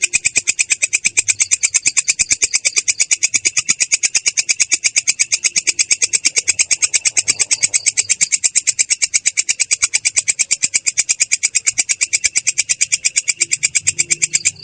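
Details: Clear, coarse ngerol roll from a belalang kecek katydid: a long, unbroken run of quick, even, shrill buzzing pulses that stops abruptly at the very end.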